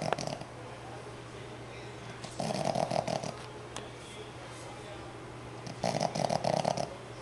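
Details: A 5-month-old male Boston Terrier puppy, fast asleep, snores in two rough, rattling bursts, each lasting about a second.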